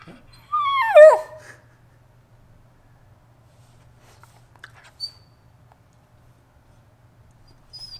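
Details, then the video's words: Shiba Inu begging every morning before its walk: one high, falling whine with stacked overtones about half a second in, then quiet room with a faint hum and small clicks. "dog begs every morning before walking"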